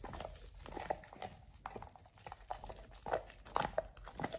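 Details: Raw ostrich paw being chewed by Oliang, a Pit Bull, for the first time. Muffled gnawing builds into a cluster of louder crunches near the end.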